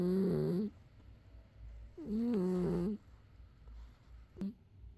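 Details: Loud snoring from a domestic cat indoors: two long rasping, droning breaths about two seconds apart, each with a low buzzing tone and a breathy hiss on top, separated by quiet pauses, with a faint short snort near the end.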